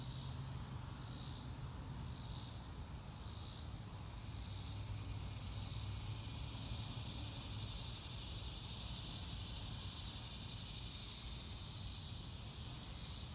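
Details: High buzzy cricket pulses rise and fall in regular bursts roughly every second, recorded in real time outdoors on a clear blue-sky day, with a soft low rumble beneath.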